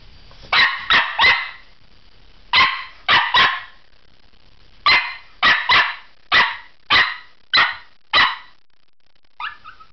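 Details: Pomeranian barking in a domestic setting: sharp, high yaps in quick bursts of two or three, about eleven barks over ten seconds with short pauses, ending in a softer whine; a person speaks nearby.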